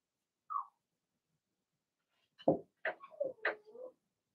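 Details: Young Blenheim Cavalier King Charles Spaniel puppies, part of a six-pup litter kept indoors in a puppy pen, give one brief squeak, then after a silence a quick burst of four or five high, squeaky yips and barks.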